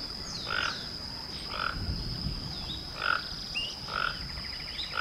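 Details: Pet toucan kept indoors in a house, giving short croaky, frog-like calls that repeat about once a second, with faint higher chirps between them and a steady high electronic whine throughout.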